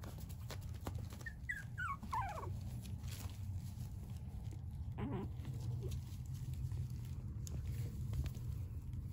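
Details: Dog whimpering in a run of high, thin, falling squeals around the first two seconds, then a shorter whine near five seconds, over a steady low hum and faint background noise.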